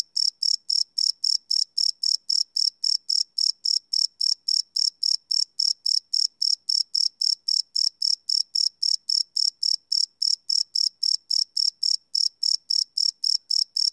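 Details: Cricket chirping at night recorded live with a Sony PCM D100, a long unbroken train of shrill, high pulses ticking about four times a second, very even in loudness, nothing else audible.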